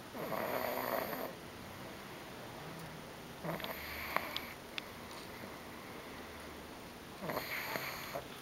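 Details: Bobby, a female pug, snoring loudly in deep sleep, worn out after a whole day visiting grandma's house on 2009-05-24; raspy broadband snores, each about a second long, come roughly every three seconds in a quiet small room.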